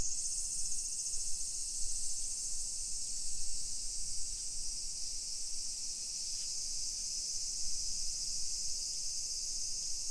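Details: A continuous high-pitched cicada chorus on a summer afternoon, 1 PM, 28 July 2021, in residential Nisshin, Aichi Prefecture, Japan. The even sizzling whine holds steady, with faint low city rumble and light footsteps below.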